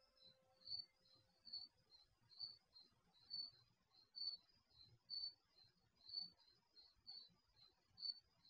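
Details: Crickets at night, picked up by the microphone of an HD security camera installed in a garage: high, pulsing chirps repeated roughly once per second, softer answering chirps between them, over a faint low hum.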